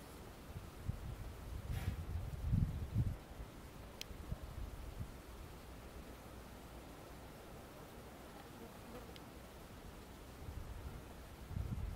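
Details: Low outdoor wind rumble and rustling on a Portuguese hillside come in bursts, with a few faint clicks and no clear animal voice.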